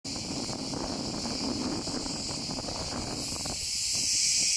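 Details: Loud cicada chorus in a forest in Turkey: a dense, unbroken shrill buzzing hiss from many insects, steady throughout and swelling slightly louder near the end, with a low rumble of wind or distant traffic underneath.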